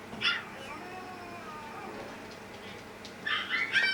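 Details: Pet dogs indoors, an older sister dog howling in reply to her younger sister's cries; Yorkshire terriers and a Maltese share the home. Sharp high yips open, then a long, thin, wavering howl slides downward before a burst of bright yelping whines.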